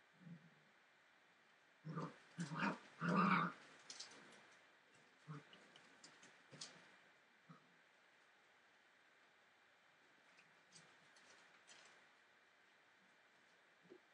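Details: Entlebucher Mountain Dog puppies at 43 days old, from the litter of Aisha Princess of Beauty (Shadow) and Falk vom Kornried born 28 December 2013; short gruff growling bursts and yelps cluster early, then scattered faint yips and whimpers in a quiet indoor room.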